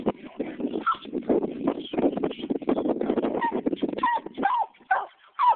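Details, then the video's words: A 15-month-old Walker Coonhound treeing a caged raccoon, giving rapid, hoarse, choppy barks and bawls in a steady stream, ending with a few higher rising yelps. "walker coon hound"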